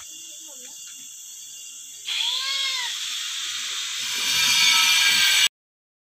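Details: Etawah goat kept on a small farm run single-handedly by a woman; one short, arched, nasal bleat rising then falling, lasting about half a second, over a loud steady hiss that grows stronger afterward.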